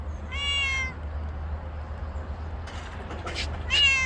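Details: Stray cat meowing outdoors: a clear harmonic meow near the start, then a second rising-falling meow at the end, with a low steady hum and faint background noise between.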